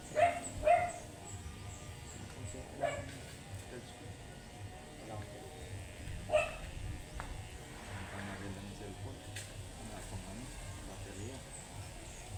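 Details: A matted Shih Tzu, angry during grooming, gives a pair of quick barks, then single barks a few seconds apart, fading into a low background hum and faint grooming sounds.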